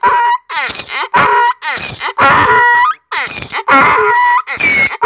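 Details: Donkey named Keravnos braying at Zarkadia, Kavala, Greece: loud harsh hee-haw cycles, a squealing high in-breath alternating with a rough honking out-breath, about one cycle per second.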